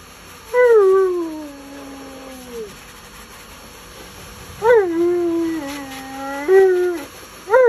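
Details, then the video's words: Male Alaskan Malamute yelling and complaining while being bathed, which he hates: long drawn-out tonal howl-like moans that rise at the start then slide slowly downward, repeated in three bouts with rich harmonics and a steady background hum. "Mad Malamute Speaks English While Complaining During His Bath"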